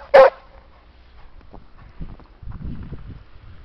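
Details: English Springer Spaniel named Sam playing with another dog in a snowy park: one sharp, loud bark right at the start, followed by quiet low rustling and soft thuds of movement through snow.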